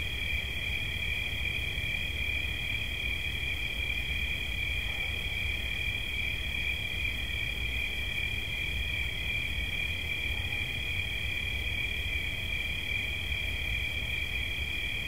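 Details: Continuous high-pitched cricket trill offered as relaxing sound, an even ringing buzz with two close tones that never pauses, set against faint low-frequency hum.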